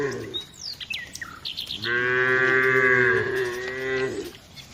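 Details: Tame village cows walked by a herder among dozens of others; one long, steady, rich moo lasting over two seconds, preceded by bright chirping birds.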